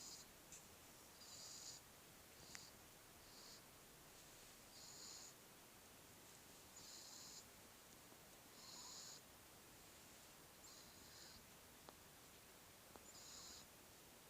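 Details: A sleeping grey kitten gives gentle, airy snores, each a short hissing breath recurring roughly every two seconds, seven or so in total, with faint background hiss.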